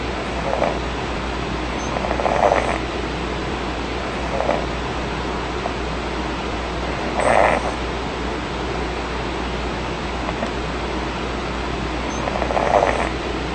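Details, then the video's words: A kitten snoring: soft, rasping breaths, each a short noisy swell, come back every two to three seconds over a steady hiss. "Snoring kitten aggrevates older brother"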